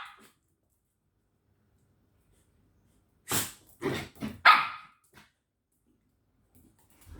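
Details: Dog barking at home, where a village dog and a corgi puppy play together: after a long silence comes a quick run of four sharp, broad barks within about one and a half seconds, then quiet again.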